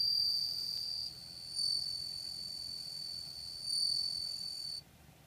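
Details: Bell cricket singing, recorded August 4, 2014: a steady, high, ringing trill that swells louder in two bursts and dips softer between them, then stops abruptly near the end, leaving faint low background hiss.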